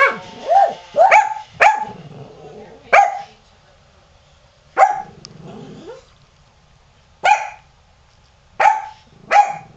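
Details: Qusi the dog barking while Hyzzie cries, upset by a rototiller running in the yard; sharp barks come in a quick cluster, then space out to every one to two seconds, with a faint whine between and a low hum behind.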